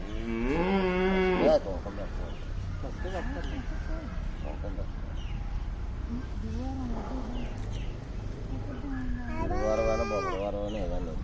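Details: A cow that has come to a family home moos twice, a long, low, harmonic call near the start and another near the end, with people talking and background noise between the calls.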